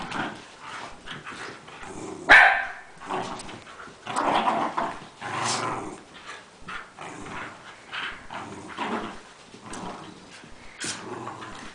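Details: Rat terriers, three or four dogs playing together indoors, littermates among them; scattered short barks and growly scuffling noises throughout, one sharp loud bark near the start, busy overlapping play sounds.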